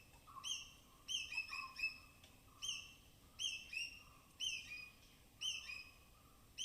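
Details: Native forest squirrels give sharp, high-pitched chirps and cautious alarm chatters in quick bursts, about once a second, while foraging along rain-soaked branches in dense evergreen forest of Tamhini Reserve, Western Ghats.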